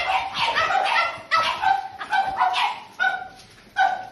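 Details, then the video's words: French Bulldogs in a kennel give sharp, uneven yelping barks, some drawn into short tonal whines, in bursts roughly every second "French Bulldog Kennel"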